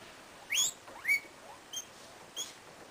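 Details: LilBoy the guinea pig outdoors on a winter's day, giving two sharp, steeply rising whistled squeaks followed by two fainter short chirps.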